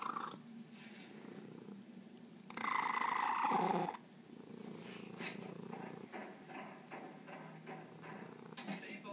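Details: Skunk, a pet cat, purring in pulsing low waves; a louder voiced burst interrupts midway before the soft rhythmic purr resumes.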